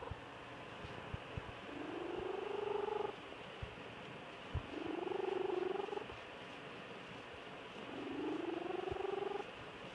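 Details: Domestic cat named Georgia Lass snoring while asleep: three slow, buzzy, droning breaths, each rising slightly in pitch and lasting over a second, separated by quiet pauses about every three to four seconds, with faint clicks in a quiet room.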